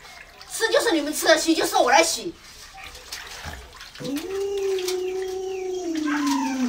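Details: Pet Alaskan Malamute named Luoluo gives one sustained, smooth howl lasting about three seconds, rising at the start then holding steady and dipping slightly at the end, after a stretch of human talking at an indoor home.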